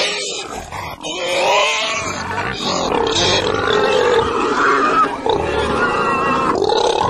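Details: Continuous pig vocalizations: overlapping nasal grunts and higher squeals run without pause, the pitch shifting as the sounds swell and fade, with one brief drop partway through.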